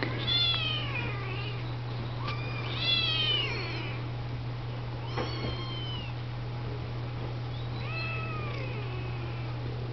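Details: Kittens of Siamese, Oriental and Snowshoe breeds getting washed and fed by the household's mother cats; bursts of loud, wavering high mews in clusters every two to three seconds over a low droning hum.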